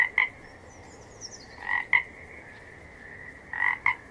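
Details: Real frogs calling: a steady droning chorus underlies loud paired croaks, two quick notes close together, repeated about every two seconds, with a thin, high descending twitter in the background.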